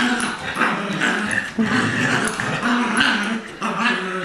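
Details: Play growling from two dogs in a tug of war, a two-year-old adopted Lab mix against a six-week-old Golden Retriever puppy; steady rough growls rising and falling in short surges, with a brief lull near the middle.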